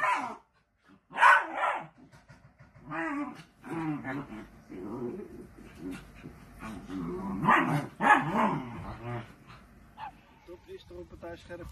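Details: Miniature sausage dog playing at home: sharp, high barks between rumbling growls and whimpers, loud bursts separated by short quiet gaps, with faint talking in the room.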